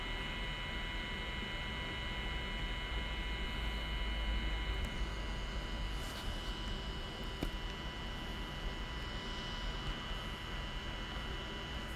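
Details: Steady electrical and engine-like hum with constant tonal lines, broad low rumble and a few faint clicks, with no animal voice.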